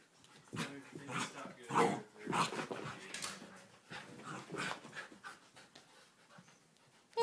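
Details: Chance and Khalen, a puppy and an older household dog, playing: rapid, breathy panting in uneven bursts with rustling movement, ending in a brief sharp sound.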